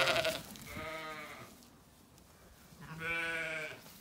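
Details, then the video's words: Zwartbles ewes at feeding time on an Irish farm in County Kilkenny: two drawn-out, quavering bleats separated by a quiet gap, one starting mid-call at the beginning. "Dinner bell rings, ewes call & stampeeeeeede occurs as gate opens"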